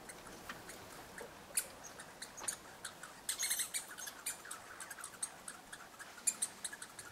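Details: Red squirrels interacting at a bird hide in eastern Canada: quiet, irregular sharp chips and clicks scattered throughout, with a short rapid rattling burst just past the midpoint, over faint steady background hiss.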